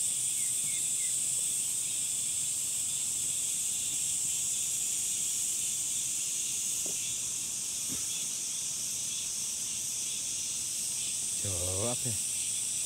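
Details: A relentless high hissing drone from summer cicadas runs throughout, with faint clicks midway and a brief human voice just before the end.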